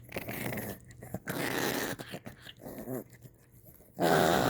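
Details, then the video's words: Maltese dog growling while chewing a tyre indoors; rough, buzzy growls come in bursts of about a second, separated by short pauses and chewing noises, ending in a louder, harsher growl. "#타이어 씹는 #말티즈"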